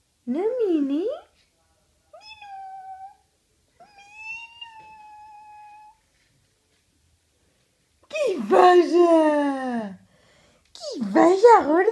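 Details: Pet cat that sometimes comes when called, with a person calling to it indoors: drawn-out wavering meows rich in harmonics at the start and end, separated by steady, sung-sounding human voice and stretches of silence.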